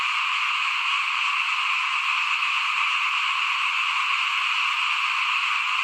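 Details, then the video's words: Frogs calling in front of a house at rice sowing time in 2021, a dense, unbroken chorus forming a steady high-pitched wall of sound with no single voice standing out. "ฟินๆกับเสียงเขียดร้องหน้าบ้าน ตอนหว่านข้าวเตรียมปลูกปี2021"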